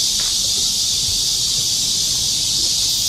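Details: Cicadas in a summer forest on a park trail during a July 2024 rainy-season heatwave, producing a continuous, even, high-pitched buzzing drone with no pauses.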